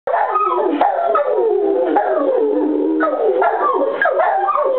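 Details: A golden retriever and a Rottweiler howling at the noon whistle: loud, overlapping, wavering howls that rise and fall continuously, the two voices weaving together without a break.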